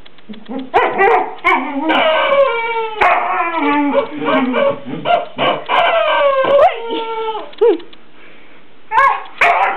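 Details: Border Collie at play with a new toy chicken named Henrietta, dressed as a Playboy bunny. Throaty whining and yelping calls glide up and down in quick bursts, broken by sharp clicks and a short quiet pause near the end.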